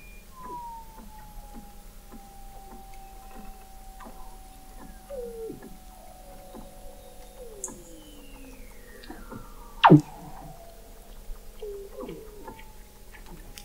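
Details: Beneath Antarctic sea ice in McMurdo Sound, November 2017, Weddell seals produce a chorus recorded 21 m below: long falling whistles, short hooked glides and pulses, and one sharp loud downward sweep near the end.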